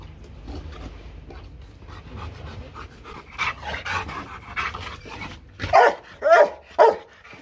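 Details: Rottweiler Loki, a Vietnamese champion from the Gervi breeding kennel in Hanoi, makes a level-one intimidation bark only in play. Low background noise and faint sounds lead up to three strong, resonant barks near the end.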